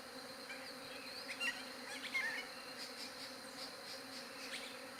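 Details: Bees buzzing, recorded on a Galaxy J7 Prime 2 phone: a steady, even, humming drone with layered overtones throughout, while faint chirps from small birds break through briefly near the middle.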